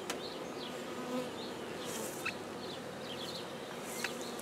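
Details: Black honeybees settling into a newly started hive at Guernay, Côtes-du-Nord: a steady, dense droning hum fills the clip, with a few brief high bird chirps over it.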